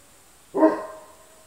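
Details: Kuvasz puppy, 37 days old, from a litter bred at the Crystal Diamonds kennel, recorded 20 July 2014; one short, sharp yelp-like bark after a quiet start, with a faint steady high hiss behind.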